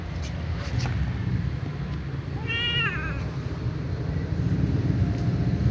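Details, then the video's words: Small ginger cat watching other cats lets out one brief, wavering meow midway, softer than the steady low-pitched rumbling noise that fills the background. "little ginger cat is meowing"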